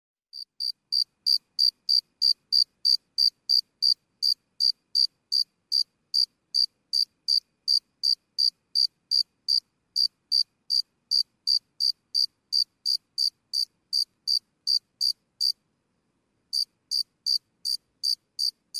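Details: Single cricket recorded close, chirping sporadically: short high pure pulses repeated steadily about three times a second, with one brief pause near the end; otherwise quiet.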